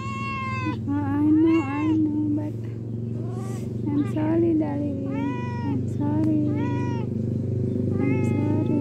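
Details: Cat meowing repeatedly, drawn-out bright meows about every second, some bending upward at the end, with a woman speaking softly and a low steady hum underneath.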